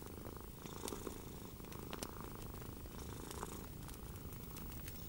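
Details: Gentle purring of a cat on a relaxing evening by the fire: a dense, low, vibrating purr with a soft rhythmic pulse, a few bright wood snaps cutting through.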